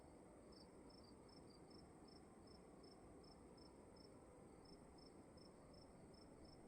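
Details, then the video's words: In a dark room at night, a cricket chirps in a regular, fast string of short high pulses, briefly answered by a second slightly lower caller, over faint constant hiss. "Sound of emptiness and crickets in the room"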